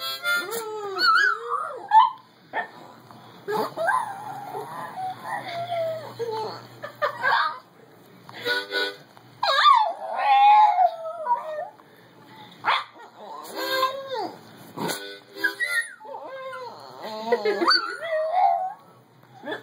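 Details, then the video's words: A cream and white Boston Terrier howls in wavering, rising and falling tones along with a harmonica, with another dog in the background. "Boston Singing- white boston terrier Lexie singing"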